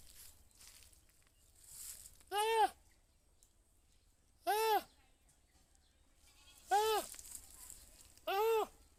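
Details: Goat bleating four times at irregular intervals, each a short, nasal, wavering cry that rises and falls, separated by quiet gaps with faint background hiss.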